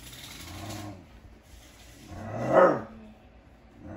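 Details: A female dog barking at her own reflection: a quiet low rumble, perhaps a soft growl, then a lull, then one abrupt, full-throated, mid-pitched bark that rises sharply and fades quickly.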